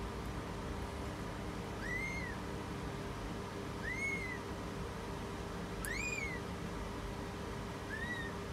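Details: British Shorthair cat giving birth: four short arched mews with faint harmonics, each rising then falling, spaced about two seconds apart over a steady low background hum.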